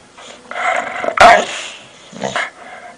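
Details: Dog making weird noises: a short growling, bark-like sound with a louder burst in the middle, then a brief quieter grumble near the end.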